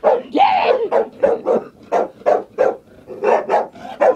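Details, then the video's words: A female dog, scared to death of a chair, gives a quick run of about a dozen sharp, high barks, roughly three per second, starting with a drawn-out yelping bark. "Dog barking at a chair"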